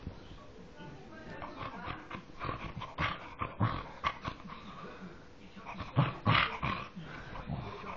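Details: Pig-like grunting from a dog: choppy, throaty snorts and low growls tumbling out in rapid uneven pulses, rising to a louder harsh flurry near the end, with a human voice briefly audible.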